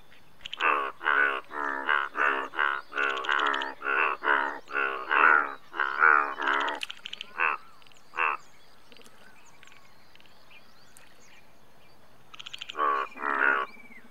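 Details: Indian bullfrog calling in a rapid series of about a dozen harsh, harmonic croaks over six seconds. A few scattered single croaks follow, then a quiet gap before a short final burst of three or four croaks.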